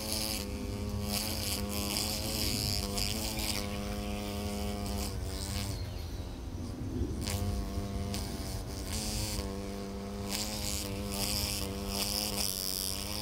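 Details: Hornet caught with tweezers, producing a sustained, rich droning buzz that falters and sags in pitch around the middle before steadying again, against constant broadband noise.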